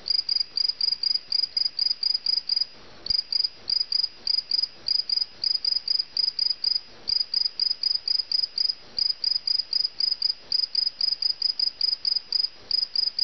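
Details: Cricket caught indoors at a family home, chirping loudly and steadily: bursts of rapid, high, pulsed chirps repeated about three times a second, with brief pauses now and then, over a quiet room.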